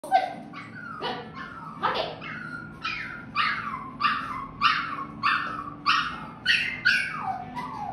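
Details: Toy Poodle during practice of the stay command, giving about eleven high, sharp yips that slide downward, repeated every half to one second, with a low steady hum behind.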